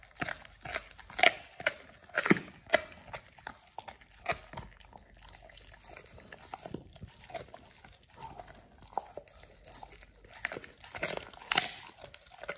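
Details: First raw ostrich paw for Oliang the Pit Bull, eaten as a jaw-exercise chew: loud sharp crunches and bone-like snaps early, then softer gnawing and licking with renewed crunching near the end, indoors.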